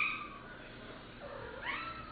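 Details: A house cat being scolded for trying to eat a ladybug walks off and lets out a short meow at the start, then a rising, slightly strained meow near the end, in a quiet room.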